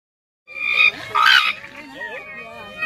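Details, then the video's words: Raccoon dogs calling: two short, harsh, wavering whines rising and falling, followed by softer warbling, whimpering notes. "Racoon Dogs won't stop talking"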